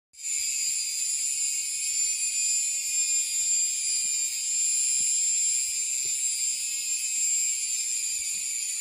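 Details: Indian cicada: a steady, continuous high-pitched electric buzz that holds at one unbroken level from start to finish, with no other clear sounds.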